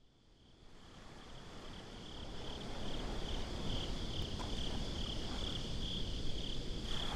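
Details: Crickets chirping at night at the beach in a binaural recording: a steady high, pulsed trill of quick beats that fades in over the first seconds, over a constant low rumble of surf.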